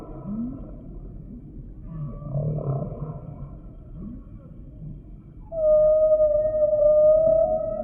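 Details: Humpback whale song: soft low groans and upsweeps give way to a loud, sustained, pure-toned whistle that holds a steady pitch for the last two seconds.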